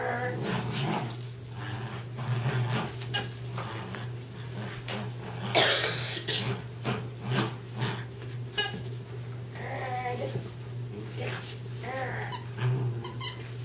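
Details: Darby and Riley, two West Highland White Terriers, tugging a toy indoors: many short broken growling bursts and brief whiny sweeps throughout, a constant low hum beneath, music and a voice in places.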